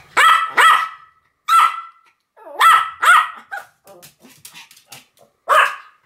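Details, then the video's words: Sam and Marin, two Pomeranians, bark as a duet: clear piercing yaps in pairs with pauses, light clicking and faint yips in between, ending with one more sharp bark. "犬の鳴き声 ポメラニアン サム マリン デュエット吠え"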